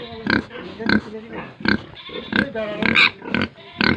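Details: Pigs and piglets on a farm in Tripura, India, giving short broadband grunts and oinks in quick bursts, roughly every half second, with a faint steady hum behind.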